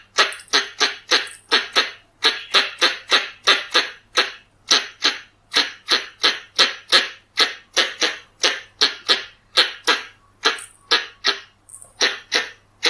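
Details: Pallas's squirrel calls for luring: rapid, even series of sharp, noisy chucks, close to three a second, with a few faint higher squeaks between them and a clean background.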